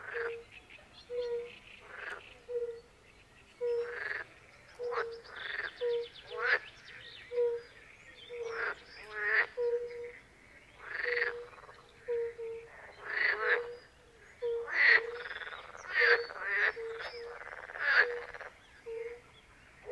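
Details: European fire-bellied toads calling in a chorus by a forest pond in Poland, with pool frogs and other frogs. Short, soft, low hooting notes repeat steadily about once a second, under louder bursts of rattling, croaking frog calls.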